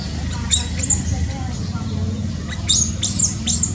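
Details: High, sharp squeaks from a newborn monkey in Cambodia: a pair near the start, then a quick run of three toward the end, set against a loud, rumbling low background.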